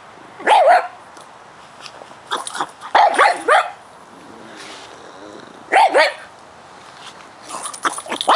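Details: Pug in his yard, concerned about a bug he discovered trespassing, barks in short bursts of two or three yaps, pausing several seconds between bursts, with a soft grumble in the gaps.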